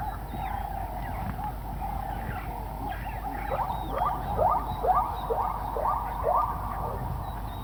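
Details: Zebra call that opens with a drawn-out steady tone, then breaks into a rapid series of hoarse barking hiccups about half a second apart, while faint high bird whistles sound in the background.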